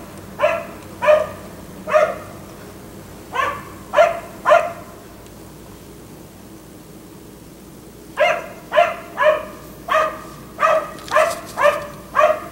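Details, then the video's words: A black Labrador retriever, kept outdoors late into the night until 1am, gives six barks in loose pairs, falls silent for about four seconds, then breaks into a quicker run of about nine sharp barks. "Dog barking until 1am"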